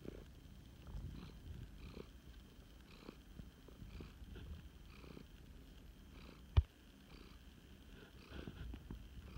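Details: Male flame point Siamese cat, a rescue, purring during a snuggle: a deep, even rumble pulsing about once a second, interrupted by one sharp click partway through.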